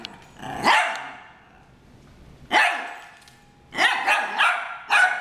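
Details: Two dogs, Harry and Ferris, in a brawl: loud harsh barks spaced about two seconds apart, then a rapid cluster of three or four barks near the end, with a growly edge.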